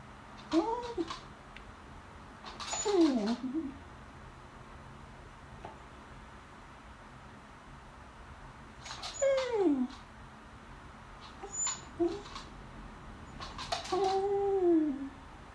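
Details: Beagle bitch indoors begging for food at the lunch table while watching the people eat; five tonal, nasal whimpers at uneven intervals, several swooping down steeply, one rising then falling, with near silence between them.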